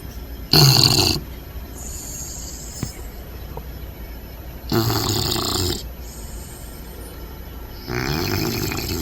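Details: Bentley, a sleeping Bulldog puppy lying upside down, snoring and snorting: three loud, broad, rasping breaths about every three to four seconds, separated by quieter inhales with faint whistling overtones.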